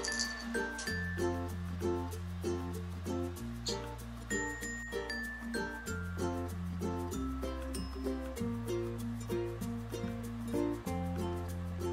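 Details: Bright background music with chiming bell-like notes and steady bass chords runs throughout.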